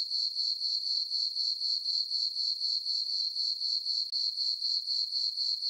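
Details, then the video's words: Night chorus of crickets on a farm meadow during a full-moon summer night; bright, high ringing chirps repeated rhythmically around four per second, with a momentary gap partway through. "Cricket chirping sounds for sleeping"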